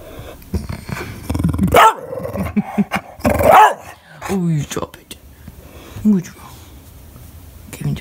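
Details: Indoor English Bulldog pet barking and crying when no one plays with him: two loud strained barks early, then rough growling yowls and short whiny cries, with a person's voice mixed in.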